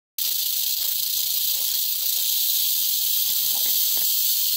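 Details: Angry rattlesnake rattling very rapidly: a continuous dry, high-pitched buzzing hiss that starts abruptly and holds steady without a break, with faint low rustles beneath.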